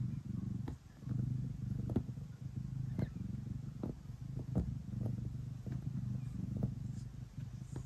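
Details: A house cat purrs as it kneads before going to bed, a deep buzzing rumble rising and falling with each breath, overlaid by regular light clicks from the kneading.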